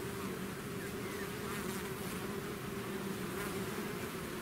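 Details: Bees swarming out of the hive produce an unbroken, level drone, a low humming mass of wingbeats holding steady for the whole stretch.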